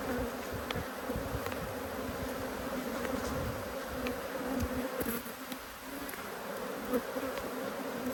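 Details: A continuous, even buzz of honey bees from two hives cross at being inspected, March 2022; the hum stays level with no other clear sounds.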